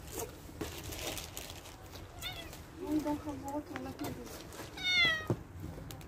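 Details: Stray cats being fed outdoors; a couple of rising-falling harmonic meows, one short near the middle and a clearer drawn-out one toward the end, with a woman's soft talk to the cats and background hum.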